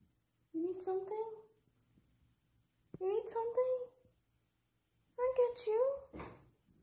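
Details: Husky screaming dramatically indoors while its owner works from home: three drawn-out, wavering, yodel-like vocal bursts, each roughly a second long, bending up and down in pitch, separated by short silences in a quiet room.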